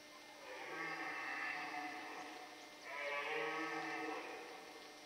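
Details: Red deer stag bellowing during the rut in the Forêt de Chaux near Dole in the Jura, France, amid male fights and hinds; two drawn-out, harmonic roars about two seconds apart, rough and moaning, over quiet forest hiss.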